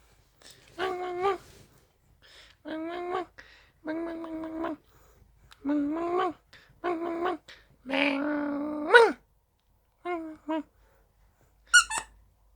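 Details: Pet Dachshund indoors in a small room, whining because it wants to play: drawn-out, nasal whimpers in separate bursts about every one to two seconds, some wavering or rising at the end, with quiet pauses between.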